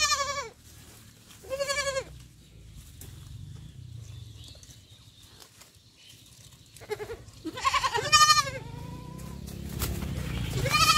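A young goat bleats in high, wavering cries, several in quick succession.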